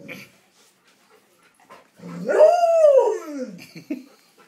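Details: Nine-week-old puppies give one long arched whine, rising then sliding down over roughly a second and a half, framed by short scuffs, clicks and faint yips.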